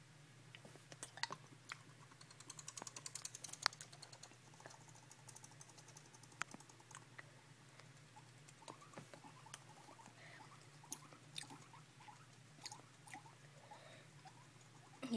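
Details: Pet male guinea pig kept in a cage chattering at its owner indoors: rapid dry clicking and tooth-chatter bursts scattered through the recording, densest early on, over a steady low hum in a small room.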